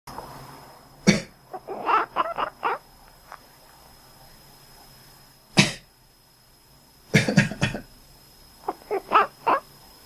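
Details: A cat answers its owner's coughs with a quick series of short, clipped, duck-like quacks; the cat reliably quacks back whenever the owner coughs.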